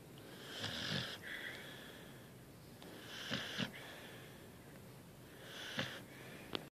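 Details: A sleeping pet dog named Angel snoring indoors in a small quiet room: raspy, wheezy breaths with hissing upper tones, each snore lasting about half a second and returning roughly every two and a half seconds.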